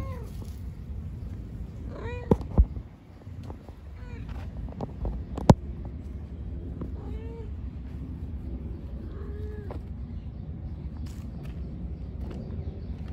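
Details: Kittens living in a park, playing: several short, high, arching meows with bright harmonics, about five spread over thirteen seconds, over steady low rumble with a few sharp knocks.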